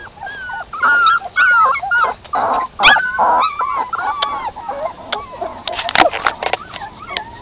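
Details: Several puppies outside feeding on their mother's milk, giving thin wavering whines and squeaks that rise and dip, many voices overlapping, with brief louder yelps and some rustling.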